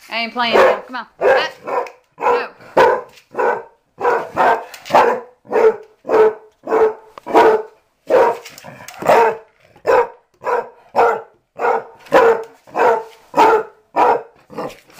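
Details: Mamie, a dog of about six or seven learning to be an inside dog after living outdoors, barks in a fast run of sharp, evenly spaced barks nearly two per second, with a man's voice calling her in between.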